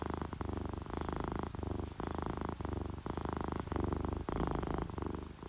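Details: Contented purr of domestic cats, a tabby and a calico, resting to rain sounds; low throbbing rumble in repeated short phrases with brief gaps, over a constant rain hiss.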